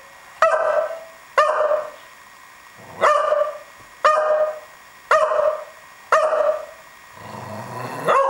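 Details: Pet dog barking while rolling around, a pitch described as not very deep; six short, sharp barks about once a second with a ringing tonal quality, then a lower final bark.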